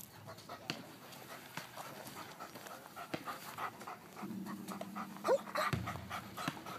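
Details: Panting German Shepherd Larry, IPO3, at agility training in a park with merry-go-round and picnic tables; quick soft breaths roughly three per second, then a brief squeak and louder low-pitched rustle near the end.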